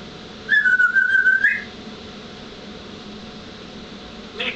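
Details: Taipa, a pet cat, lets out one fluttering, whistle-like trill lasting about a second at a fairly high pitch, then falls quiet. A faint brief chirp comes near the end in a quiet indoor room.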